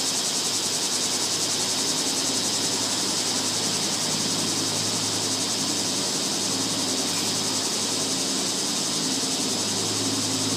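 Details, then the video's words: Cicadas in summer, a dense, unbroken high buzzing drone that fills the whole recording at steady loudness, with a faint low hum running underneath. "セミの鳴き声 夏の音"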